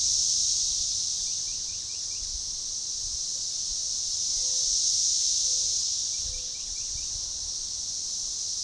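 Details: Magicicada tredecassini periodical cicadas in an organized, synchronizing chorus at a forest edge by a baseball trail near DeValls Bluff, Arkansas, June 7, 2015; dense high buzzing swells and fades in waves, with faint short chirps and brief low tones.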